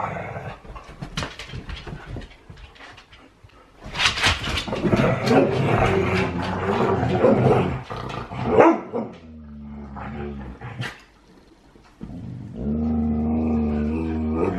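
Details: Play-wrestling huskies, rough but friendly, inside a small room: scattered scuffles and light thumps, then a loud stretch of growls and grumbles, with steady harmonic tones and a brief quiet spell near the end.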